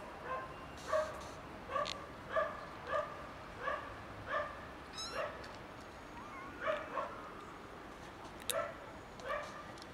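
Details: Three young kittens found in someone's garden, meowing loudly: short, bright, harmonic meows in a steady series, roughly one every half second to second, some overlapping, with a few faint clicks and rustles between calls.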